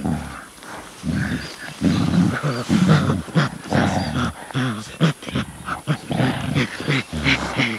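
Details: Gorilla giving deep, rough grunts and low harmonic hoots in uneven bursts, loud and irregular over several seconds, with faint background rustle.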